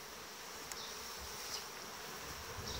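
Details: End-of-July sound of a powerful honey bee colony covering 18-19 frames, strengthened by bees from dissolved nuclei; an unbroken soft drone with a faint humming tone and a single sharp click near the start.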